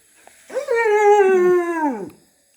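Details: Indian pariah dog (desi dog) giving a single sustained, tonal howl lasting about one and a half seconds. The howl is rich in overtones, holds a fairly steady pitch and sags slightly at the end, with quiet surroundings.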